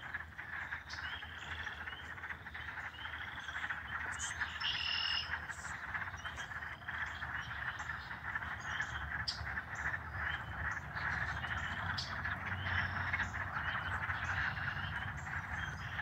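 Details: Spring night chorus of frogs at a Michigan pond, March 25, 2020, loud and out in numbers: many overlapping quick chirps and trills repeating rapidly and irregularly, a continuous bright wall of calls over low rumble.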